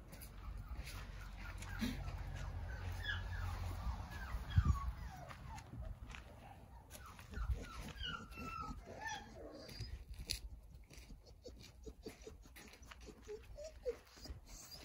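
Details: Nine Jindo puppies in a big playpen built in a front yard for sunbathing whimper in a stream of short, high, thin whines that bend up and down and overlap among several pups, over rustling, clicking handling noises and a low outdoor rumble.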